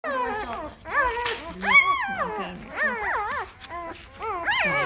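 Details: Five-day-old Great Bernese puppies, a Great Pyrenees and Bernese Mountain Dog cross, getting noisy: overlapping high, wavering whines and squeals rising and falling in pitch, several pups crying at once with brief pauses.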